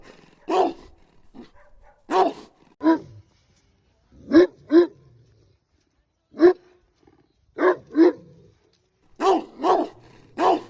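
A mastiff gives deep, booming barks, singly or in quick pairs, with short pauses between.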